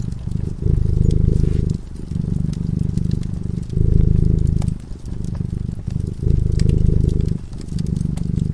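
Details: Deep, even purring from a cat dozing before a fireplace, in rumbling bursts separated by brief quiet breaths, over scattered crackling from the burning fire.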